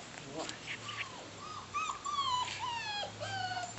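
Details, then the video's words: Bernese Mountain Dog puppies playing outside: thin, high whining whimpers that slide down and level off, several in a row with faint overtones, while a woman talks softly to the puppies. "Bernese Mountain Dog Puppies - Outside"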